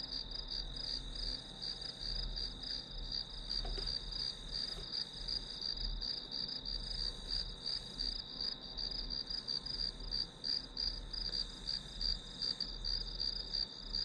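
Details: Grass insects trilling nonstop as study background noise, many rapid high pulses forming one shimmering ringing tone, steady in loudness, with a low electrical-sounding hum below.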